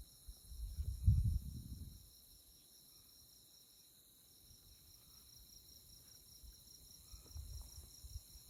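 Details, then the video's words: Insects chirping on a moonlit night in the tallgrass prairie of Konza Prairie Biological Station near Manhattan, Kansas; a steady, high, rapidly pulsing chorus runs throughout beneath a low wind rumble that swells near the start and end. "Insect Chirping Sounds"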